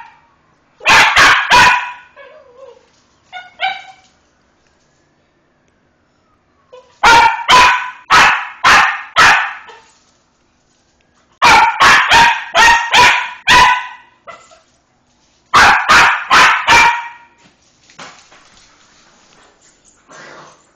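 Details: Pet dog barking to demand her toy dumbbell back after it was taken away. Loud, sharp barks come in rapid bursts of three to five, separated by pauses of a few seconds, with softer whines in between.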